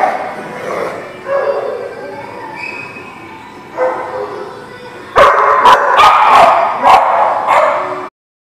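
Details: Dog recorded on 14 March 2020; softer whining yips and moans for five seconds, then a rapid run of loud, punchy barks about every half second before it cuts off.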